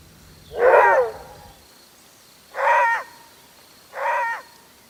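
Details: Maned wolf (Chrysocyon brachyurus), a long-legged South American savanna canid, gives three deep, hoarse roar-barks, each about half a second and spaced nearly two seconds apart. These calls serve territorial communication and finding mates in breeding season.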